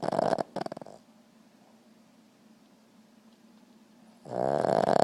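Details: Boston Terrier asleep: a broken, fluttering snore trails off at the start, followed by about three seconds of quiet breathing, then a loud rasping snore begins.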